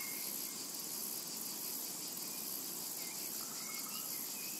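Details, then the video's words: Summer meadow with calling cicadas, a continuous shrill buzzing wash that never pauses, while brief thin bird whistles break through now and then in the background. "Summertime and Cicada Ambience"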